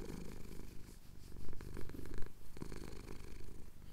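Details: Domestic cat, male, purring while his chin is scratched, Cotswold sunrise, Tascam DR-07X recorder; close, loud, low vibrating drone with quick irregular pulsing and a few soft clicks.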